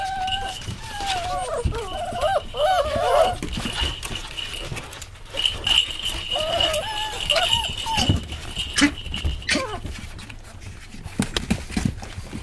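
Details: German Pinscher puppies after a milk feeding: high, wavering squeaks and whines overlapping in bursts, with steady background hum and rustling.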